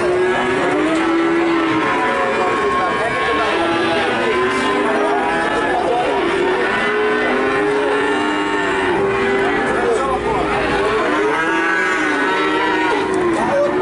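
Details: An almost unbroken chorus of calf moos in Nganjuk, Indonesia: many overlapping arched, wavering bawls repeated throughout, with faint background voices.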